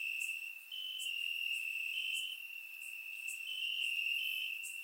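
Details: Crickets chirping in grass on a warm summer night in Bulgaria, recorded with a surround microphone: a steady high band of trilling from several insects, with brief sharper pulses above it about four times a second.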